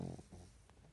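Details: A Pekingese napping during the day snores in REM sleep, with its eyelids not closed so its eyes visibly move: a low, rumbling, throaty buzz fading into soft, breathy snuffles.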